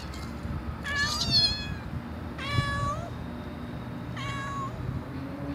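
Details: Domestic cat giving strange cat sounds: three clear harmonic meows about a second long each, spaced one to two seconds apart, the first wavering upward, over a constant low indoor hum.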